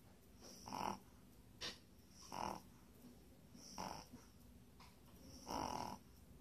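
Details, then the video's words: Puppy asleep and snoring, each rough, wheezy breath swelling and fading with a thin whistling edge, repeated roughly every one and a half seconds in a quiet room. "puppy snores"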